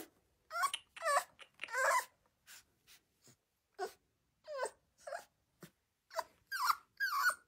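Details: Rottweiler puppy having its nails clipped, giving a run of high, wavering yelps and whines that rise and fall, about ten short bursts in under eight seconds separated by brief silences.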